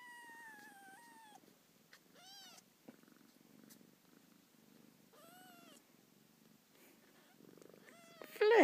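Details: Kitten Little Gene meowing loudly beside her mother Fleur indoors; a long level meow, then two shorter arched meows and a final cry, with faint purring, a woman's soft voice and handling noise at the end.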